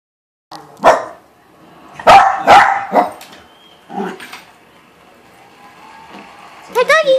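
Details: A male Silky Terrier gives sharp, high barks in quick bursts, barking back at a dog barking on the TV, with talking in the background.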